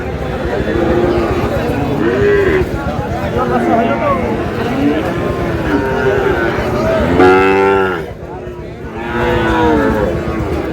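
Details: Sahiwal bull calf at a cattle market in Madaripur, Bangladesh, on 3 April, bought by a farmer; several drawn-out lowing moos rise and fall through a busy market din, with people talking and bargaining over prices close by.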